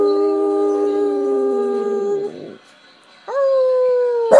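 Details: Boston Terrier taught by its owner to sing, holding a steady, even howl with a clear tone that sags and fades out after about two seconds, then a brief rising howl note follows and ends in a sharp yelp.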